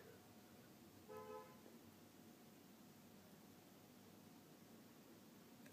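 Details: A brief horn-like honk over a quiet background, with no animal voice heard. A sharp knock sounds at the very end.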